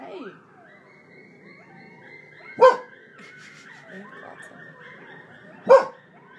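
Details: Coyotes howl outside a window in Ontario, Canada, a long, thin, high howl broken twice by sharp, rough barks, likely from the owner's frightened dog.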